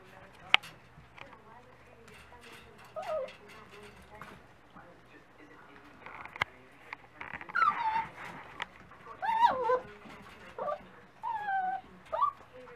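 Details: Several Dachshund pups at breakfast time whine repeatedly. Short wavering, bending whimpers come every second or two in the second half, over a low hum and faint clatter.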